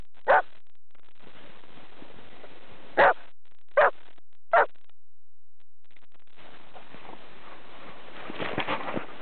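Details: In Swedish snow, champion springer spaniels at play give four loud clipped barks in the first few seconds, then fall silent while crunching and scuffling through the snow fill the rest.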